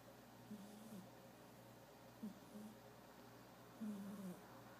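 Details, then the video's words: Picchu, a black cat, snoring softly while asleep. Low raspy breaths come in short bursts about every one and a half seconds, very quiet over a constant low electrical hum. "Black cat snoring"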